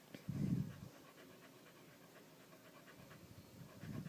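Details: Candy, a pet dog frightened after the household fire alarm chirped for a battery change, being calmed indoors; two short breathy low pants, one near the start and one at the end, with near silence between.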